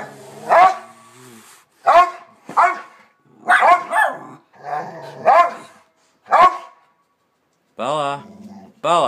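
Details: Two dogs bark up a storm, giving a run of loud, harsh barks, each short and spaced about a second apart.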